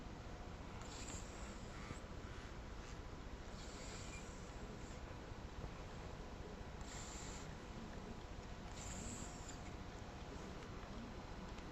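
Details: Sleeping seven-year-old house cat, very relaxed, snoring gently: short airy hissing breaths come every two to three seconds, some fainter than others, against a constant low background rumble.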